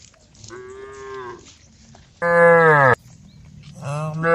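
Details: Herd of cows on the road calling each other: a softer, distant moo, then a loud close, deep bellow, and a third moo starting as the clip ends.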